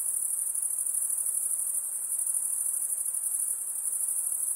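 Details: Insects producing a steady, very high-pitched shrill chorus, an unbroken ringing drone with a faint fast pulsing texture, holding an even volume throughout with no other clear sounds.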